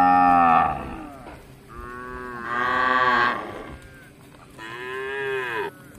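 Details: Village cattle, tame and wandering about looking for grass, give three loud moos: a falling opening call, then two longer nasal lows arching up and down, separated by brief quiet gaps.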